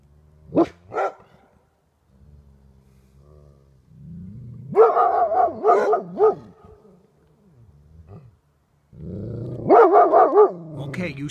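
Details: Pair of Golden Retrievers confronting a porcupine, with two sharp barks followed by low growling, then clusters of three to four rapid, wavering yelps, and more growls before a final barking burst.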